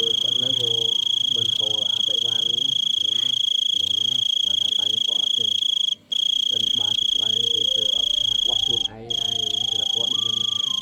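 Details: Loud call of a big cricket: an intense continuous shrill tone with two brief drop-outs, accompanied by nearby speech and voices.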